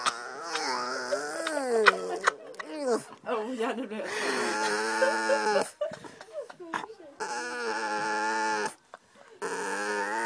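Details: Maja the dog 'talks' at the dinner table for attention, recorded 9 July 2011: wavering, yodelling moans rise and fall in pitch, some warbling quickly, mixed with Swedish voices and kitchen noise.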